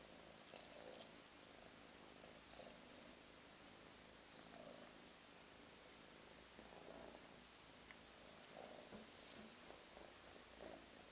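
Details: A lighter gray solid boy Russian Blue mix kitten, affectionate and fond of being held, purrs in even breathing cycles roughly every two seconds, a gentle buzzing rumble with faint soft rustles.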